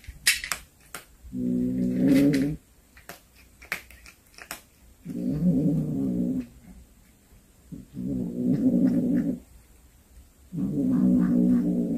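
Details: Domestic cat that brought home a hunted snake, giving long drawn-out low yowls in four sustained bursts of one to two seconds each, with sharp clicks and rustling between them.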